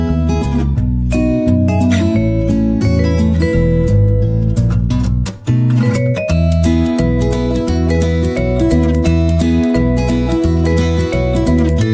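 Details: Cheerful acoustic guitar music with steady strummed and plucked chords plays throughout, with a brief dip in the middle and no animal sound heard.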